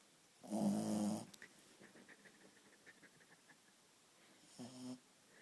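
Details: Shih Tzu asleep, snoring: one loud, rough, buzzy snore lasting under a second, then quiet soft clicks, then a shorter, fainter snore near the end.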